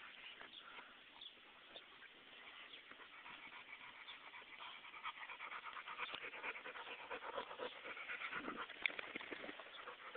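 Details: Oliver the dog playing with his owner, breathing in a quick, rough panting rhythm of short noisy huffs, building louder toward the end, with faint rustling of play around him.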